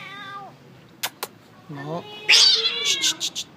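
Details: Feral kitten frightened by another cat, giving several meows: a short falling cry, a brief low one, then a loud, drawn-out, wavering wail that trails downward, while a person repeatedly says no.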